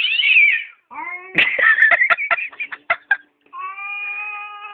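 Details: Attacking domestic cat yowling: a high wavering cry, then a rough rising howl breaking into a rapid series of sharp spitting bursts, a brief pause, and a steady drawn-out moan with clear layered tones.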